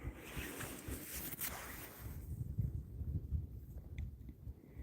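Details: Low wind rumble and steady background noise fill the recording, with one faint knock and no clear animal voice.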